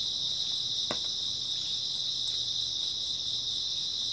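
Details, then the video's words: Grass insects chirping on an early autumn night: a dense, steady high trill forming a continuous shimmering band, with a fainter higher band above, and a soft scattered ticking and a single sharp click near the start. "초가을 밤부터 새벽까지 백색소음 풀벌레 소리"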